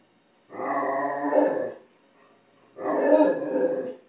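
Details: Max, a nine-month-old Great Dane puppy, reacting after discovering food on the stove. He gives two drawn-out, growly, moaning howls, each lasting over a second, separated by a short pause.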